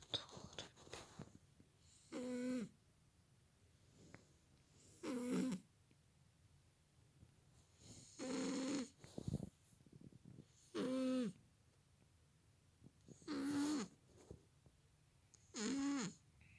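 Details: Sleeping cat snoring loudly beside a sleeping man, six rough nasal snores, each about a second long, repeating roughly every two and a half to three seconds, with quiet breathing between them.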